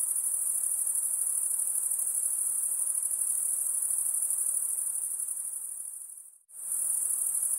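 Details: Shrill insect trilling holds steady at a very high pitch, then fades out almost to silence near the end before returning at full strength.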